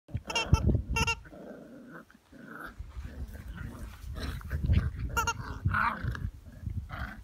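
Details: Eight-week-old Jack Russell Terrier puppies playing with their mother, giving low rumbling growls with short yappy bursts and snarls, scuffling throughout.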